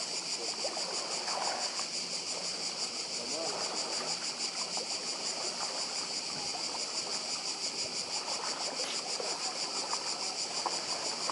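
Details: Cicada chorus on the Croatian island of Badija: continuous shrill, pulsating buzz that never pauses, layered above the low, even rush of sea waves along the shore.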